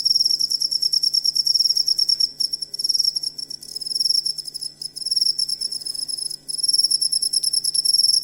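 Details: Cricket used as a song model for songbirds: shrill, high pulsed chirping delivered in runs broken by several short pauses, over a quiet low hum.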